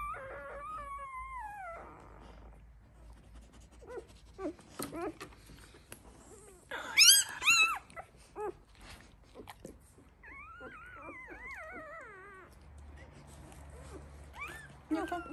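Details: Litter of one-week-old Labrador Retriever puppies; thin high whimpers and squeals with wavering pitch come in bursts, one sharp loud squeal near the middle, a woman speaking softly in German nearby.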